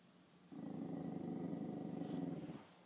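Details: Female dog at home, seeing her own reflection in a mirror for the first time, gives a steady, low, rumbling growl lasting about two seconds, then falls quiet.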